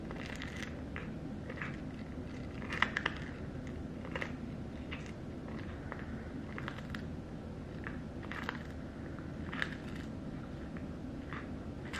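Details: Close, soft crunching and biting of a dry snack repeats throughout a quiet indoor room, with no vocal animal calls.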